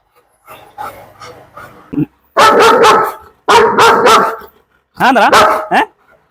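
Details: German Shepherd in Perumbavoor during a leash-handling session, letting out loud, harsh barks in three bursts about a second apart, each with a ringing tonal edge, after a stretch of low murmuring human voices.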